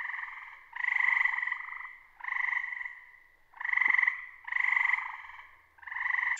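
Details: A tree frog in Lincoln, Massachusetts, calling at night in summer with a bird-like sound, gives loud, musical pulsed trills, each about a second long, repeated with short gaps.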